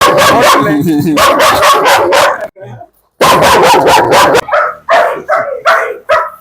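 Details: Biting German Shepherd in Koyilandy, protective of a girl, barking aggressively: rapid loud deep barks in dense bursts, a brief pause near the middle, then a run of separate spaced barks. Voices in the background.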